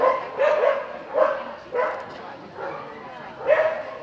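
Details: A Samoyed at a Samoyed Club of Los Angeles AKC event in February 2013 gives a run of short, harmonic, yelping barks and woo-like calls, about five bursts spaced unevenly across four seconds.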